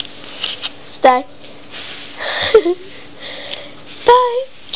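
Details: Young whippet puppy, eight weeks old and blue and white, letting out three brief high whimpering yelps about a second and a half apart in a small quiet room.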